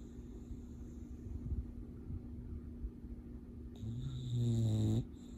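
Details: English Bulldog asleep and dreaming, breathing quietly at first, then one swelling, low, rattling snore in the final second and a half, with a faint background hum.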